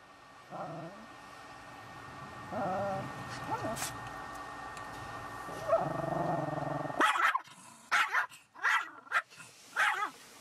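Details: Sarah the Shih Tzu, upset at a car wash, first gives drawn-out tonal whines and growly moans, then breaks into a rapid series of loud, sharp barks against a constant machine hum.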